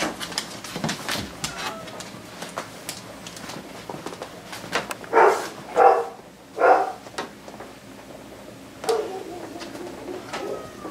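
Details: Siberian husky puppy, seven weeks old, meeting his father for the first time indoors: brief harmonic yelps and whines bunched near the middle, with scattered clicks and household noise.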